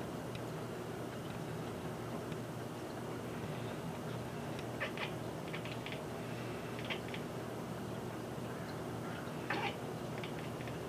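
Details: Watching a bird at a feeder through a window, the cat Kiki makes several brief stuttering chatters, quick clipped clicks grouped in short bursts spread across the stretch, with a constant low hum beneath.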